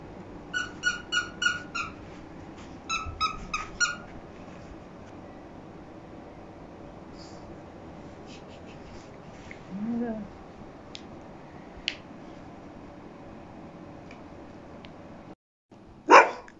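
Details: A sleepy pug puppy gives rapid, high-pitched yapping barks in quick bursts, demanding attention.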